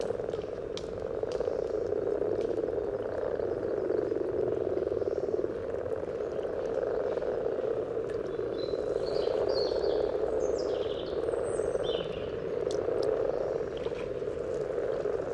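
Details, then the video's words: Dense, continuous purring croaks from many common frogs calling at their spawning site beside a trail in Sunnersta, Uppsala, recorded close to the water with a parabolic microphone. A few faint, high bird chirps come in partway through. "Spelande vanlig groda"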